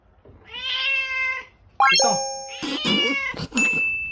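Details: Cat in a short funny clip about cat fight sounds; a long clear meow, then a sharp rising squeal and a harsher, noisy wail, with a steady electronic-like tone near the end.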